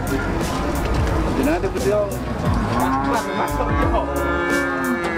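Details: Huge cattle at the Muntilan cattle market near the end of 2019 give a drawn-out, rising-and-falling moo with rich harmonics in the middle of the clip, over a constant hubbub of crowd chatter, engines and background music.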